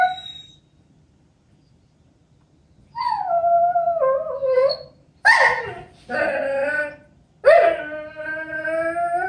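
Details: Sookie, a female Vizsla kept as a family dog, whining in a small room: after a quiet start come four wavering, tonal whines with bright harmonics, some sliding downward, others rising sharply then dropping, separated by short pauses.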